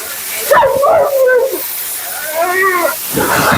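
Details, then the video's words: Talkative female Husky Mila grumbling during grooming: a brief warbling moan, a pause, then a second, softer rising-and-falling phrase, ending in a rush of hissing noise. "Talking Husky FURNADO Bath and Blowout"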